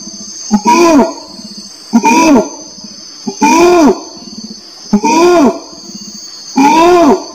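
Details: Orangutan calling: arched, harmonic-rich calls that rise then fall, each about half a second and repeated every one and a half seconds, over a steady high insect-like whine and soft low pulsing between calls.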